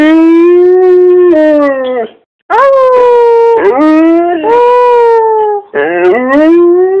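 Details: Domestic dog howling at its owner's prompting: long, steady, clear howls, the first holding level for about two seconds, then a pause and three more sliding howls that dip and rise again at the end.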